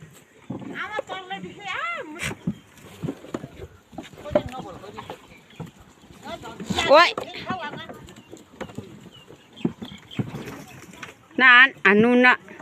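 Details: Boer goats on a goat-breeding farm in Nepal bleating: wavering, nasal, tremulous calls of about a second each, one near the start, one midway and a loud pair at the end, with quiet farm noise between.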